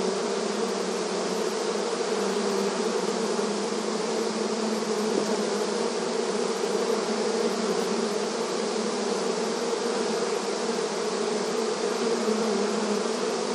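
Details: Busy honey bees at a beehive entrance, filmed in a rural setting, produce a continuous layered drone, a low steady hum with a brighter hiss above it, never pausing across the whole stretch.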